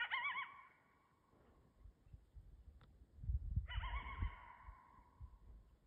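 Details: Coyote in Canada howling: two wavering, quavering howls, the first short and fading, the second rising sharply then held level and tapering off, with low rustling and handling noise between them.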